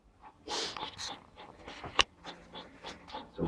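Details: Belgian Malinois puppies from the Argalasov dvor kennel during a training session on 20 January 2013: soft, breathy panting bursts roughly once a second, with one sharp click midway and a quiet indoor background.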